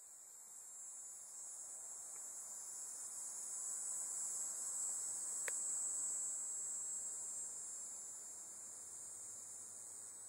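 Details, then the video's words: Dog-day cicada calling at the Bohemia Equestrian Center on Sycamore Avenue, Bohemia, New York, 6 September 2012: a continuous high, hissing buzz that swells gradually toward the middle and fades slightly, with a faint steady insect drone beneath. "Tibicen Canicularis Calling II"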